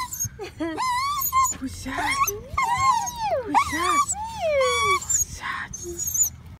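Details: Male Dachshund greeting its owner as she returns home after a day of waiting: high, excited whines and yelps that rise and fall in long, wavering, harmonic-rich notes, with voices alongside.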